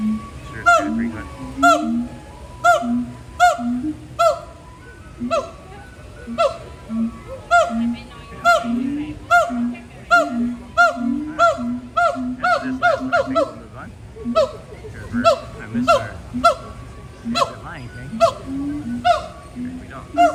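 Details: Gibbons at Disney's Animal Kingdom on September 15 give honking throat calls in quick bursts with overlapping voices, during a long, energetic calling session with playful swinging and climbing.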